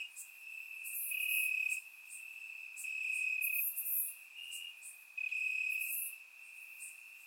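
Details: Crickets chirping in grass on a warm summer night in Bulgaria, captured with a surround microphone: a steady high trill with louder bursts of chirps rising and falling every second or so, plus faint higher insect buzzes.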